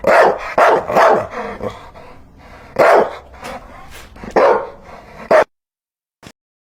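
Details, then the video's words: Dog barking in a rapid string of sharp barks, a pause, then a few more loud barks before the sound stops, with one faint click near the end. "Hear the sound of a dog barking"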